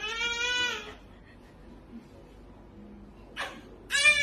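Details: Cat meowing indoors: a loud, drawn-out, steady meow opens, followed by a quiet pause with faint murmurs. A short breathy burst comes next, and another clear meow starts at the very end.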